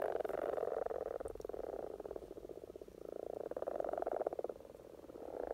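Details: Many common frogs calling during spring courtship in Norway, rapid pulsed low croaking rolling in overlapping waves, a steady grating purr that rises and falls every second or two.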